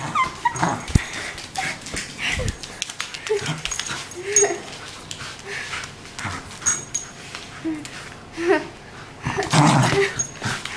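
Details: Playful young wire haired fox terrier named Rory, one year old, at play: brief whimpers and yips spaced through the clip, low grumbling growls between them, and a louder whining burst near the close amid handling noise.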